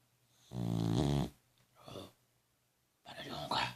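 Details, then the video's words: Sleeping dog snoring loudly, a deep rattling snore with layered harmonics, then a softer breath and another rough, hissing snore, repeated within about four seconds over a faint steady hum. "Dog roncador/ cachorro roncando mais que humano"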